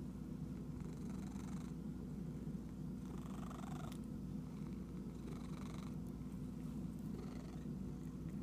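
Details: Itchy cat purring in a steady, low, rumbling drone throughout, broken by four brief bursts of higher rustling noise, each lasting under a second, spaced across the recording.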